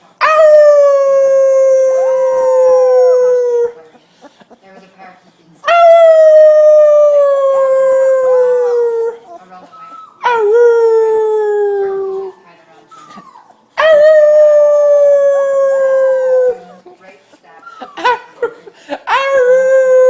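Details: Howling puppy giving long, rich, steady howls of about three seconds each, slightly falling in pitch, with quieter gaps holding faint voices and small noises between them.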